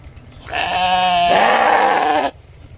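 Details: Sheep giving a single drawn-out, quavering bleat of under two seconds, rich in harmonics, its tone shifting partway through, against a quiet background.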